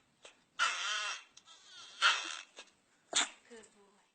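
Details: Domestic dog puppy making pig-like noises: three separate squealing, whining bursts with wavering tones, spaced about a second apart. Faint voices can be heard in the background.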